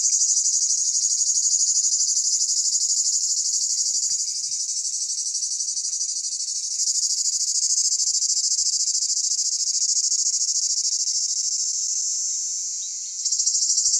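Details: High, unbroken cicada buzzing on a summer day in Pelion, Greece, pulsing quickly, with small swells and dips in loudness and a brief drop just before the end.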